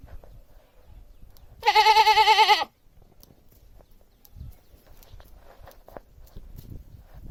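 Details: Domestic goat giving a single loud, wavering bleat about one second long, strongly vibrato and nasal, with faint low background rustle before and after.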